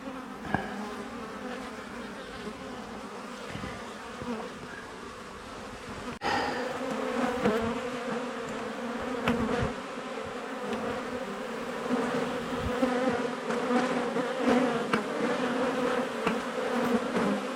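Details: Honey bee colony cut out of a house wall: a steady hum that swells louder after a sharp knock partway through, then a dense, rising buzz with scattered clicks and bumps.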